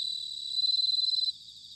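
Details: A single bright, ringing bell cricket trill lasting under a second, recorded in autumn in Sanuki, Chiba, Japan, which then drops back into a softer pulsing chorus of crickets.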